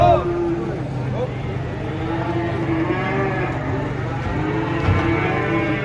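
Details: Large cattle coming down off a swaying truck give drawn-out, low, droning moos over a constant rumble of engine and handling noise.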